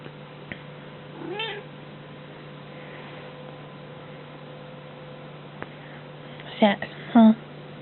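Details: Domestic cat meowing indoors, two short rising-falling meows near the end after a faint earlier mew, with a woman talking softly to it and a steady low hum throughout.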